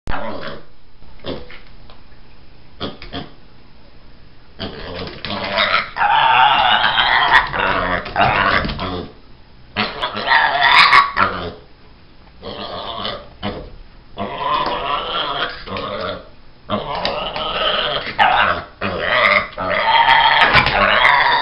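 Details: A pet pig squealing when he doesn't get what he wants: harsh, raspy, demon-like screams in bursts of one to three seconds, broken by short pauses and lower grunting sounds.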